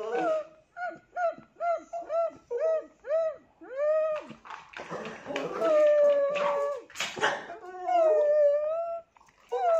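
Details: Rhythmic short yelping whimpers from a Tibetan Terrier, roughly one every half second, build into a longer wavering howl and a final drawn-out rising note, with some scuffling noise.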